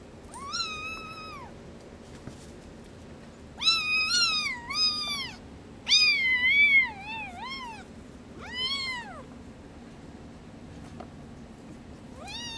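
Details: A litter of hairless Sphynx and Bambino kittens indoors, giving a run of loud, high-pitched meows. Each rises, holds and falls, some paired in quick succession, with short quiet gaps and faint room hum between calls.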